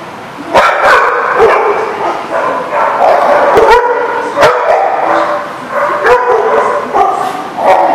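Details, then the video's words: Dogs in a barking lot, recorded on 1/3/20: loud, dense chorus of overlapping barks and yips from several dogs, sharp bursts every half second or so over continuous howling and whining. "The Barking Lot"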